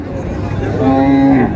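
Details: Cow offered with her calf at the Raniganj cattle market in Dinajpur on June 4, 2026; a short, steady, low moo of about half a second rises over loud crowd chatter and bargaining voices.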